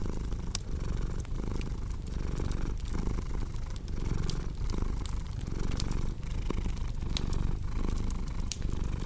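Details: Domestic cat purring steadily in a relaxation mix, a low rumbling purr pulsing with each breath roughly every 0.7 seconds, over sharp pops and crackles from a cozy wood fireplace.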